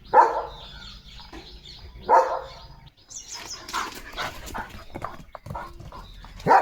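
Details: Leo, a German Shepherd kept as a pet, eating a boiled egg at home; three loud, sharp barks spaced about two seconds apart, with rustling and handling noises between them.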